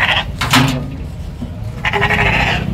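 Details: Spanish-breed lambs for sale at a Moroccan farm ahead of Eid al-Adha; two short bleats, one around half a second in and a higher wavering one near two seconds, over a steady noisy background with a man's voice at the start.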